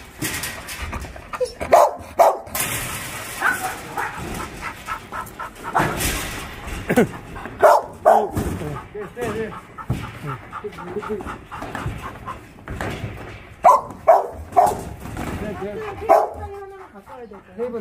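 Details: Dogs kept at Ulsan's Naraeul Center shelter, once called Mindeulle Shelter, bark during a volunteer session: bursts of short yaps and barks come irregularly and quickly, some clustered, mixed with a few whimpering notes and people speaking nearby.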